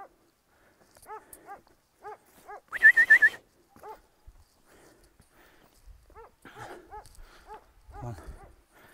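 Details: Kangal shepherd dog stranded on rocks, giving short arched whimpering yelps repeated roughly every half second, with one brief loud squeaky burst of rapid notes midway and faint thumps near the end.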